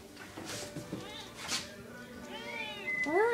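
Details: Talkative kitten at night outside a bedroom door, wanting attention: a person's speech is followed by two clear meows, the second loud and bending upward then down, in a small indoor room.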